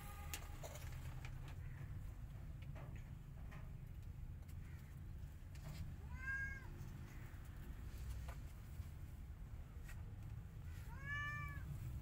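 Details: Two clear arched meows, one around the middle and one near the end, amid quiet stretches and low background hum, as an angry white cat is unhappy about a tiny kitten trying to come inside her hut.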